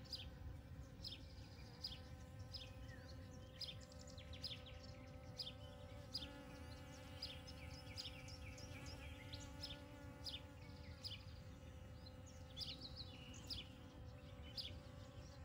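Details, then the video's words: Honey bees foraging for pollen and nectar across a field of poppies on a May morning, 29 May 2022. Steady low harmonic hum runs throughout, overlaid by frequent sharp bird chirps and a constant rumble of wind. "Arılar Gelincik Tarlasında Coşuyor"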